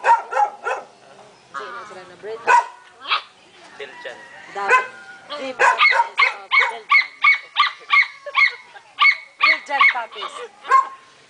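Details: Belgian Shepherd puppy letting out a long run of sharp, high yelping cries, about three per second, ragged at first and then steadier, with children's voices talking in the background.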